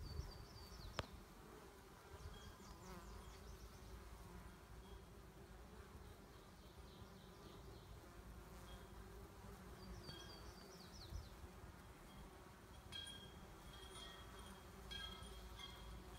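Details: Honey bee colony, the single hive surviving winter from four, described as defensive and aggressive, repeatedly chasing and stinging its keeper; a steady low droning hum fills the recording, with faint high bird chirps now and then.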